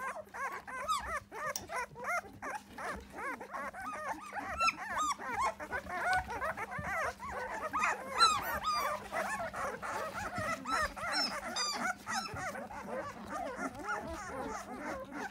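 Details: A litter of twelve newborn Belgian Shepherd (Malinois) pups gathered in a box while their playpen is cleaned, whining from hunger or pain. A dense chorus of short, arched squeaks and whimpers overlaps continuously, with a constant low electrical hum.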